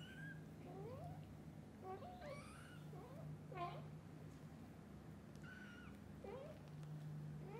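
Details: Young kittens, newly awake, mewing at their mother cat to play outside; repeated rising and falling high-pitched mews, often overlapping as several kittens call at once, over a persistent low hum.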